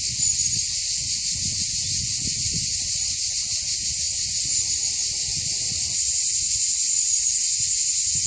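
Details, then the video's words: Chorus of cicadas on a June walk over Mont Saint Martin, Cap d'Agde, France, a hillside above the sea; continuous intense hissing drone, unbroken and even throughout, with light low-pitched handling noise underneath. "Chant des cigales juin 2015"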